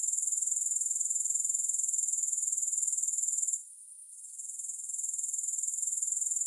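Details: Shrill, rapidly pulsed buzzing of grasshoppers, steady and high. It is cut by a brief lull around three and a half seconds and then resumes, quieter at first before returning to full volume.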